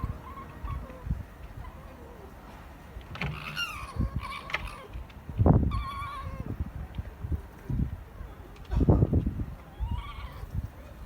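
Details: Japanese red fox at a zoo during night opening on 5 January 2020, rarely vocal: a few wavering, bleat-like whines with harmonics, some quavering, amid loud low thumps and handling noise.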